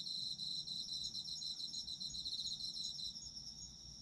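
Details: Autumn insects in full voice, bright rapid chirping trills at high pitch, pulsing several times a second, with one strand falling silent near the end.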